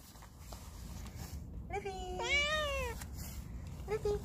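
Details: Ruby, a playful stray cat, being offered food gives a drawn-out meow that rises slightly, then slides down over about a second. A shorter, softer meow follows near the end over a low background rumble.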